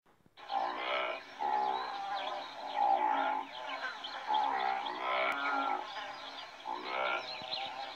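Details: Antelope giving a run of drawn-out, nasal, moaning bleats, each lasting about a second, with short pauses between them and a brief click near the middle.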